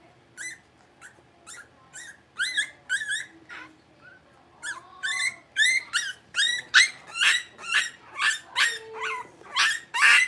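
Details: A litter of five blenheim Cavalier King Charles Spaniel puppies, six weeks old, born at New Year's, kept in an indoor puppy pen. Sharp, high yips and short barks come in uneven bursts, quickening and growing louder toward the end.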